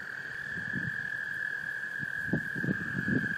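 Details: Male American toads calling to attract females in a small breeding pond, Laurens County, South Carolina, USA, March 2014: a steady, unbroken high musical trill holds throughout, with soft low thumps and splashes beneath.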